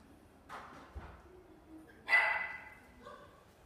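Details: A long-haired Chihuahua in a pet shop gives a few short barks: soft yips near the start, then one louder, sharper bark midway and a faint last yip, over quiet room noise.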